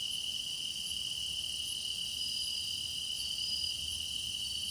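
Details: Grass insects in a deepening-season chorus recorded for meditation: one sustained shrill trill holds throughout, while fainter high pulses recur every second or so above a low, murmuring background.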